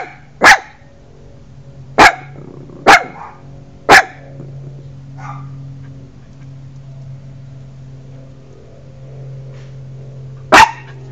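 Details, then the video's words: A puppy near a tortoise barks four times at uneven intervals, then falls quiet for several seconds before one last loud bark. A constant low droning sound runs throughout. "Puppy and Tortoise"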